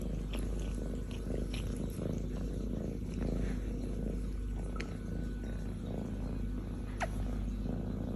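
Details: Kitten, a young female almost grown up, purrs while licking and kissing her human, perched on his chest; low continuous rumble, a few sharp clicks and short squeaky touches of the tongue.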